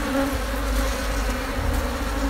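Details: Wild honey bee colony living inside a discarded sofa, its old darkened combs cut open for golden honey; continuous low humming drone with two steady tonal bands, close and unbroken throughout.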